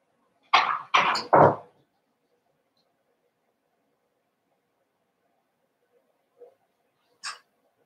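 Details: Seven-week-old Cavalier King Charles Spaniel puppies from Daisy's litter in an indoor puppy pen at home: three quick, loud, rough yelps in a row, then a quiet pause broken by a soft squeak and one short sharp cry.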